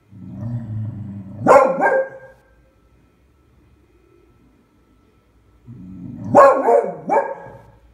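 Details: Beagle bitch, scared of a pram and treating it as a terrible beast, February 20, 2016: a low growl building into a harsh bark with a rough tail, then silence and the same growl-and-bark pattern again.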